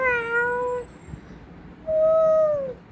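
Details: A domestic cat gives two drawn-out, tonal meows, the first steady and level, the second sliding downward at its end, with a short quiet gap between them in a small room.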